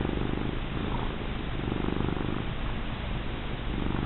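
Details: Female pet cat purring during a rubbing: dense, continuous low rumble with a fast even vibration, loud and close, no other sounds.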